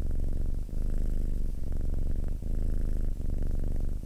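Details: A cat's close, deep purr: a buzzing low drone broken by brief dips at roughly 0.8-second intervals as the animal breathes in and out.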